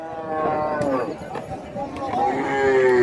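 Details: Cattle at a big Indian cow market: a low, wavering moo with rising and falling tones, overlapping with buyers and sellers haggling over age, weight and price in Bengali.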